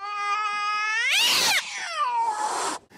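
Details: Domestic cat scream of the kind heard during cat fights in the middle of the night, mixing offensive and defensive anger, fear and pain. A tonal, rising wail breaks into a harsh, noisy shriek, then falls away into a lower, rough cry.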